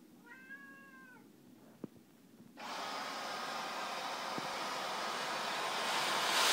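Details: A female Siamese cat that loves being vacuumed gives one clear, slightly arching meow before a vacuum cleaner roars to life.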